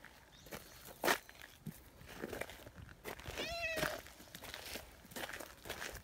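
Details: Brown tabby community cat Nyahha rushing back when left behind, giving one clear wavering meow with rich harmonics around the fourth second, preceded by a sharp tap and accompanied by crunching steps outside.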